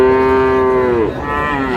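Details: Friesian or crossbred bull calf at Raniganj cattle market, 10 August: a loud, steady, tonal moo lasting about a second, then a sharp drop and a softer, lower second moo, with faint market murmur behind.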